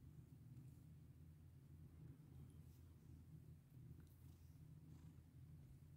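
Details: Purring pet cat under a stroking hand, a continuous deep rumble with faint soft clicks and rustles above it.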